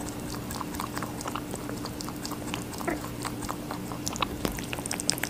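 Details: Watermelon being eaten by a rabbit, with quick moist bites and crunching that grow slightly louder toward the end, over a steady background hum.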